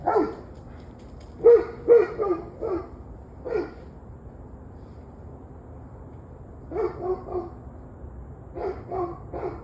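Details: Dog heard on the evening of 21 November 2023, barking in irregular bursts of two to four quick barks separated by quiet gaps, some barks softer and more distant, with steady low background noise.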